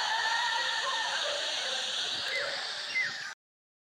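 Red ruffed lemurs give a harsh, raucous chorus of loud braying calls that ends abruptly.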